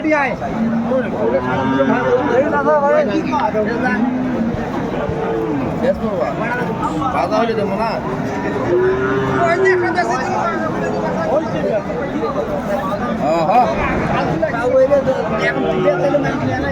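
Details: Sahiwal bulls and calves at the opening of Aftabganj cattle market, Dinajpur, on 1 February 2025; several drawn-out, low, wavering moos rise and fall, overlapping one another amid constant crowd chatter and bargaining voices.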